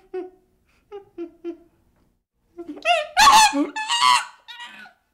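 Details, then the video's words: Young chimpanzee giving a few soft, short hoo-like whimpers, then breaking into a loud, harsh, rising scream with wavering tones before tapering off into a final softer cry. "Baby Chimpanzee Sound"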